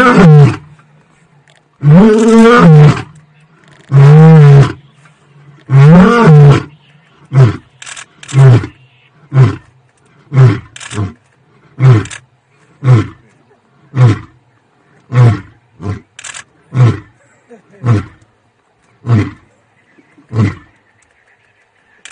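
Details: In Tanzania, a lion roars: a few long, deep moaning roars followed by a series of shorter grunts.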